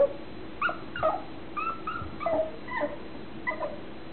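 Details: High, whiny whimpers and brief yips from a nine-week-old mutt puppy. The squeaky notes repeat irregularly, some rising and some falling, with several overlapping in quick succession and a faint steady hum underneath.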